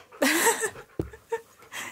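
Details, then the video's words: Siberian Husky "talking" while reacting to a dog app: one drawn-out, harmonic, whining yowl that wavers up and down for about half a second, then a sharp knock and a few soft breathy sounds. "Talking Husky is NOT Impressed With This Dog App!"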